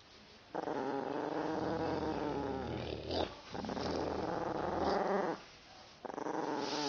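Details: Female Yorkshire Terrier growling at her owner, who teased her with a growling sound she hates; long sustained rumbling growls with a brief break in the middle, close and indoors.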